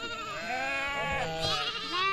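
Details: Sheep reared in the forest of Jungalmahal: several overlapping, sustained, harmonic bleats of varying pitch run throughout, some wavering and others rising at the end, with no pause between callers.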